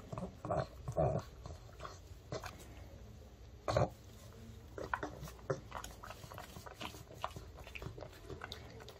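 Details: Male pug indoors eating homemade dog-safe chicken as an early-summer treat: sparse crunchy bites and chewing clicks, louder bursts near the start and around four seconds, over a quiet room hum; a woman gives commands between bites.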